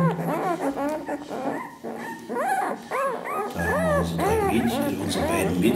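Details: Ten-day-old Ca de Bou puppies of Ivi and Tito, just opening their eyes, give bright rising-and-falling whines in quick succession, mixed with background music and some speech.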